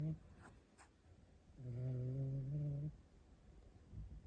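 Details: Rescued cat snoring indoors: a single low, droning, buzzy breath lasting just over a second, with steady humming overtones, set between quiet stretches of faint room noise.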